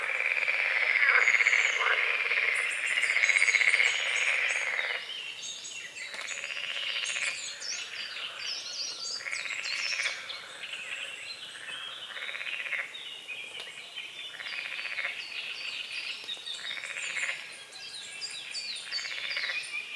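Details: Frogs at dawn on a small foggy lake at the forest edge: a steady raspy drone for five seconds, then rolling pulsed croaks in overlapping bursts of about a second, with high bird chirps above.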